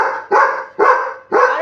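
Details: Labrador Retriever Buddy, a pet, barking at home while being urged to show more anger and bark harder; loud rough barks repeated roughly every half second, the last cut off at the end.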